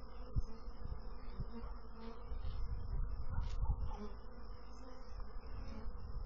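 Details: Bees producing a constant deep buzzing hum, growing slightly fuller in the middle with scattered soft taps and clicks.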